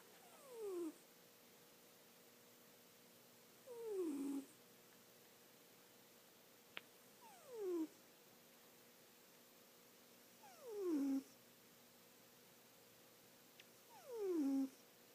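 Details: Sleeping pet cat snoring, described as doing so all the time: short nasal sighing breaths with a falling pitch, one every three to four seconds, five in all, in a quiet room.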